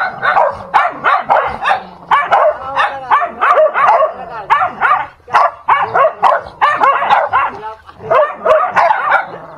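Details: Dogs fighting, a dense loud run of snarling barks, yelps and growls overlapping almost without pause, harsh bursts crowding every second with only brief gaps.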